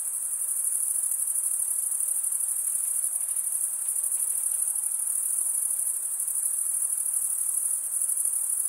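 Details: Wing-rubbing crickets give a constant thin, bright trill at very high pitch. It pulses finely without pause throughout, with only a low, quiet hiss of background noise.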